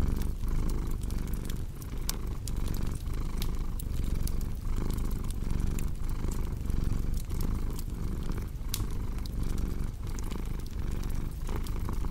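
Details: Steady low cat purr in breath-length waves, with fireplace crackle and pops prominent over the rumble.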